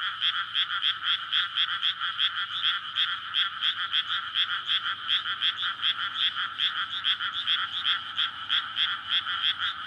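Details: Dense frog chorus from a flooded rice paddy on a May night, the frogs courting once the field is filled with water; a relentless throbbing of rattling croaks, many callers overlapping, continues without pause.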